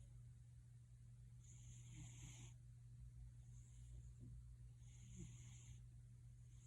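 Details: Gildong the cat gives a soft, wheezy purr, three quiet breathy pulses a few seconds apart against a steady low hum.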